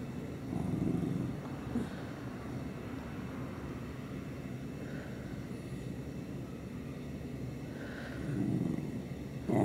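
A corgi grumbles in a low, rough rumble that rises and falls over several seconds.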